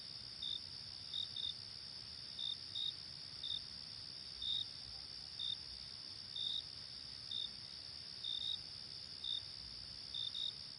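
Crickets chirp at night: a steady high shrill trill with brief, higher chirps breaking through.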